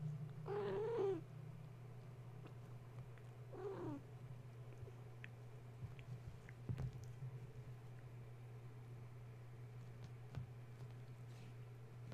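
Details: Gaia's kittens, stirred from sleep at bedtime by the plugging in of a space heater, utter two wavering meows in quick succession, followed by scattered clicks and taps against a constant low hum indoors.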